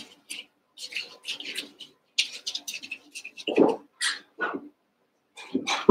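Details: Eight one-month-old Cavalier King Charles Spaniel puppies wrestling and playing together in the Red Barn puppy pen. Short squeaky yips and small growly barks come in irregular bursts, mixed with scuffling and rustling.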